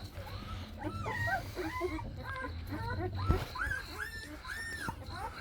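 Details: Active Jindo puppies from Baekhyang's litter: a run of short, arched whimpers rising and falling in pitch, coming roughly every half second, with a man talking softly in the background.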